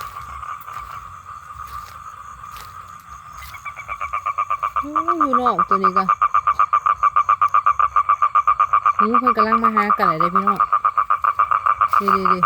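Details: Male toad calling for females to mate: after a quiet start, a loud, rapid, evenly pulsed trill rolls on continuously, interrupted by short bursts of human voice.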